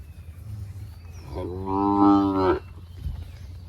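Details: Sahiwal bull at a farm sale in Birampur, Dinajpur, giving a single moo about one second long, full and harmonic, with a level pitch and an abrupt end, over low crowd and engine rumble.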